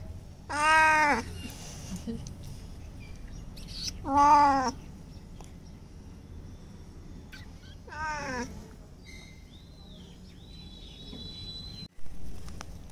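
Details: Bengal cat, scared of being bathed and washed in the open, crying: three loud, drawn-out harmonic meows about four seconds apart, each rising then falling, with quiet pauses between, then faint whistling tones and a sharp click near the end.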